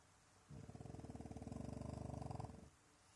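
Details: A French Bulldog snores in one long, low, rattling breath that flutters rapidly for about two seconds, apparently pretending to sleep to avoid going outside for a wee.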